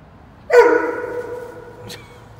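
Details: Dobermann Roman out on a rainy-day walk; one sudden loud bark, tonal and rich in harmonics, fading slowly over about a second, then a faint second burst as the tail dies away.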